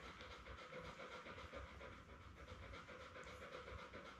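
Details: Short stretch of even, rhythmic panting, close to four breaths a second. Recorded on a June 4 live puppy cam with Labrador Retriever mother Belle and her seven puppies born May 24, 2021.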